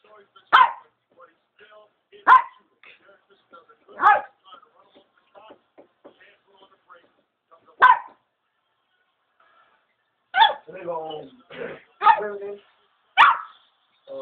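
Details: A Pomeranian barks at a wall indoors, giving sharp, high yappy barks spaced irregularly every couple of seconds.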